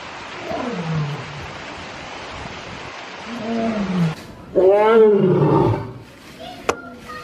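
Lions give deep, moaning roars that swell and then fall away in pitch.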